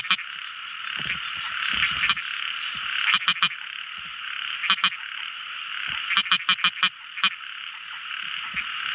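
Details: Tiny frog calling at night: groups of quick clicky notes, single or up to five in a row, stand out over a continuous high-pitched chorus of other frogs.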